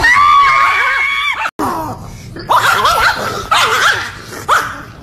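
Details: Angry Chihuahua giving loud, high-pitched yapping barks with rising and falling tones, in bursts separated by brief pauses, with a person speaking Dutch nearby.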